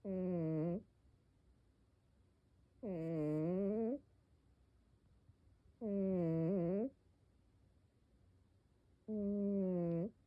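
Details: A snoring cat indoors makes four steady, buzzy-humming snore sounds, each about one second long and spaced about three seconds apart, with a slight dip in pitch mid-breath. The room is otherwise quiet.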